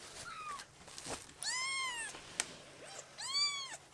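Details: Rescued foster kittens playing together on a lap; three to four clear arched high-pitched meows, two long and bright, with a faint shorter one between, plus soft handling noises.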